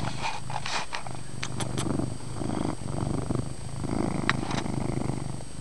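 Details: Chase, a pet cat, purring loudly indoors in a dim room; a steady low rumbling purr throbs continuously, with a few faint clicks and rustles on top.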